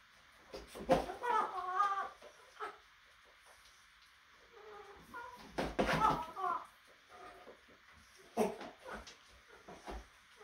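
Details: Baby goats at play making odd, alien-like calls: several strained, wavering cries in the middle range, in bursts around one, two and six seconds, with knocks and bumps from a small room between them.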